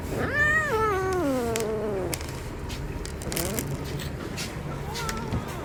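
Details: Cat vocalizing while eating, opening with a long drawn-out meow that falls steadily in pitch for over a second, followed by a few fainter short calls amid low background noise.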